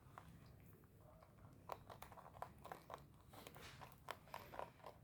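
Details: A rabbit chewing its favourite food, with quick, dry crunching clicks in uneven bursts in a quiet room.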